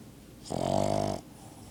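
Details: Single buzzy, vibrating snore from a dog asleep indoors, lasting under a second, strong and steady with a rough rattling texture, then quiet.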